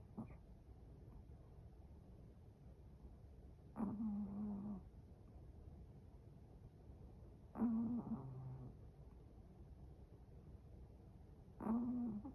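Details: Snoring Chihuahua asleep, giving steady low, buzzy rasping snores roughly every four seconds, each lasting about a second, with soft room hum between.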